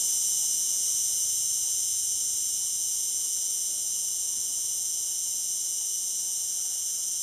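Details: Cicada calling in the Algarve: a steady, unbroken high-pitched hiss-like buzz that holds its level throughout with no pauses, and no other sounds stand out.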